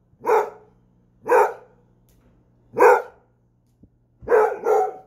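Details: Basset Hound giving deep, full barks, three spaced about a second apart, then a quick double bark at the end, over a faint low background hum.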